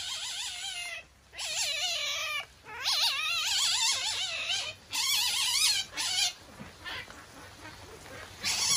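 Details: Masked palm civet Haku-chan, a captive at Kusatsu Nettaiken, Kusatsu Onsen, calling high and shrill while irritated; quavering warbled bursts about once a second, fading to fainter squeals near the end.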